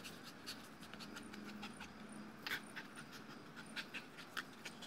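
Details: Breathy, hurried panting from a tired two-year-old male Dogo Argentino after a tug-toy play session with a tethered toy; a few sharper clicks and faint high chirps punctuate the steady breathing.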